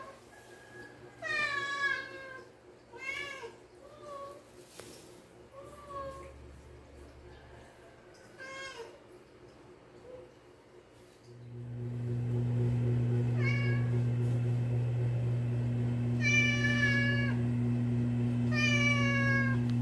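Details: Several cats meowing in the morning while waiting to be fed, a series of harmonic, rising-falling meows in the first half, then more meows over a loud steady low hum that starts near the midpoint.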